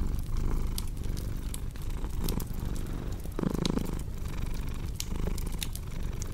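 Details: Cat purr as a low, rough, buzzing drone with soft breath-timed surges, accompanied by crisp fireplace crackles and pops scattered throughout.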